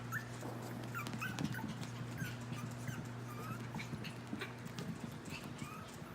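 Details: Chihuahua puppies, a lavender merle female named Solo, a black tri male named Banjo and a light fawn merle male named Reed, August 21, 2018: thin, high squeaky whimpers in short curved bursts over a steady low electrical hum.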